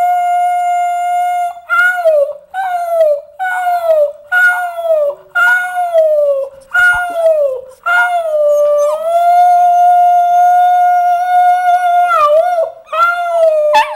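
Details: Puppy being trained to howl on cue: a series of short, clear tonal howls, each sliding slightly downward, then one long sustained steady howl, all loud and close.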